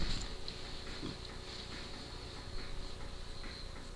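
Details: A female French bulldog about 7 years old makes low, rough snorting grunts, much like a pig's oinking.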